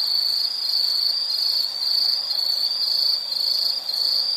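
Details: Insect chorus, a continuous high trilling band pulsing in short bursts about twice a second, filling the night air as a steady shimmering drone with no other sounds.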